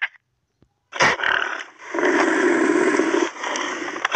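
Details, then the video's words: Pig or boar giving a harsh, raspy sound: a short rough burst, then a drawn-out grating squeal-growl lasting over a second, with a few clicks at the end. "Pig & Boar Sound"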